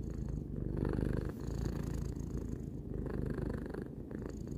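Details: Relaxed domestic cat aged three purring: continuous low rattling rumble, louder in the first seconds, with a short gap and quick breath-by-breath pulsing.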